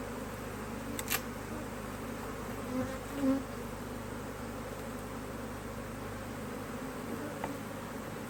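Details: Honey bees at an Australian-designed Hive IQ beehive in Australia, almost mid-Autumn 2023, in fine weather, as the hive is opened to add a box of empty frames. A soft, steady, low buzzing hum continues throughout, with a few faint knocks.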